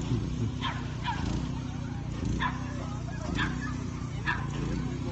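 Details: A Leonberger dog at a lure coursing event gives about five sharp barks, spaced roughly a second apart, over a low, steady mechanical hum.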